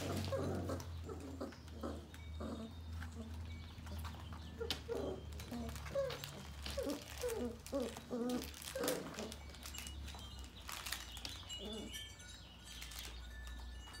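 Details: Coco's female Sheepadoodle puppies give a string of short whimpering and squeaky yelps, several per second in the middle stretch, against a constant low hum and scattered clicks and rustles indoors.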